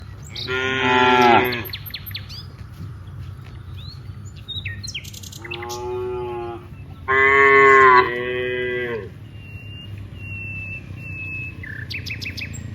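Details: Dozens of cows walking from rice fields to a village: two harmonic moos, one early and one around the seventh second, plus a shorter moo between, with chirping birds in the background.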